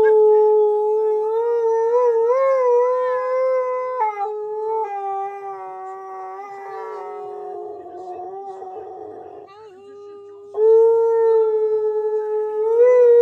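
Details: Key, a Siberian Husky said to be angry with his owner for talking over him, howls loudly and continuously, the pitch wavering up and down in long drawn notes, with short breaks and a strong rising swell near the end.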